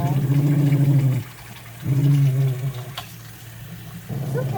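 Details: The General, a grumbly wire-haired dachshund rescued from a shelter, lets out deep sustained rumbles during his bath, two long low growls with a gap between, then another starting; quiet splashing and murmured reassurance between.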